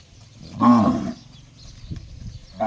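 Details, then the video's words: Single short, ringing, harmonic cow call lasting about half a second, described as sounding like a gong, followed by quiet low background noise. "Funny cow noise sounds just like a gong"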